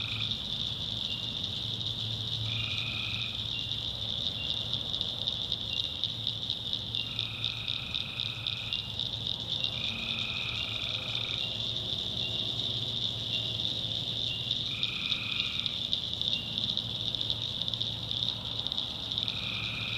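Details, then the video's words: Tree frogs at night in the swamp backwoods of North Carolina: a dense, steady high-pitched chorus runs throughout, with louder drawn-out nasal calls breaking through about every two to four seconds, some in quick pairs. "Swamp Sounds at Night - Frog Heaven - Frogs, Crickets"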